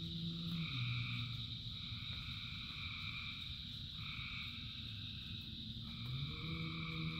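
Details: Frogs singing in rain, a high trilling chorus paired with deeper droning croaks that rise and fall at the start and end, all under continuous rain hiss.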